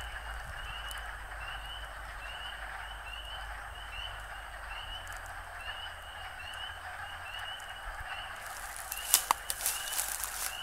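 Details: Frogs in the first chorus of 2013: a continuous series of short, rising chirping notes repeated in quick runs over a steady soft hiss, with rustling and crackling handling noise near the end.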